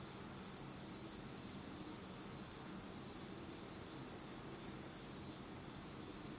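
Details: Autumn insects in Japan, recorded in total darkness, trill together in a steady, high, shimmering chorus without pause.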